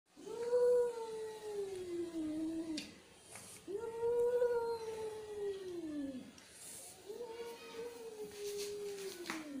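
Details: Angry cat giving three long, drawn-out yowls, each about two to three seconds, arching up then sliding slowly down in pitch, with short pauses between and faint background clicks.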